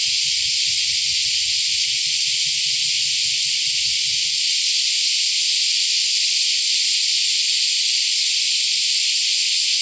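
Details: First cicadas of the year in Akashi, Japan, on July 13, 2025, near the Akashi River mouth, a semi-shigure chorus: a dense, steady, high, hissing drone without pause, with a low rumble for the first four seconds.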